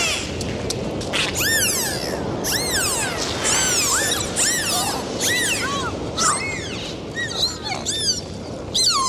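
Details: Dolphins recorded underwater on a dive in the sea: many rising and falling whistles and looping arcs, overlapping one another, with clicks and a steady wash of water noise underneath.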